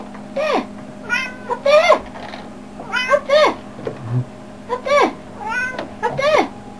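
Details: Domestic cat meowing indoors, a run of short, arched meows that rise then fall, about nine in under seven seconds and often in quick pairs, while a person repeats "up there" in the background.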